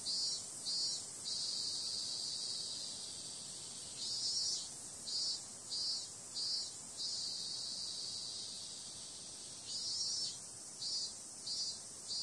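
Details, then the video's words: Summer night cicadas produce an unbroken shrill buzzing, punctuated by runs of short louder throbbing bursts separated by calmer stretches of steady whine. "Cicada sound"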